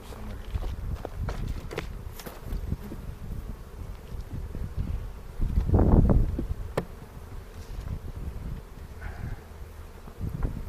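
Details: Honey bees in a hobby bee yard in the foothills near Cochrane, opened on April 27 for the second hive inspection of the 2018 season, checked for queen cells before a split. A steady low droning hum runs throughout, with handling thumps and a louder rustle midway.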